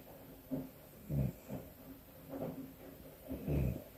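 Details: A pet cat snoring as it sleeps with its eyes open: short, low, gravelly snorts follow one another roughly every second, some louder than others, against a quiet indoor background.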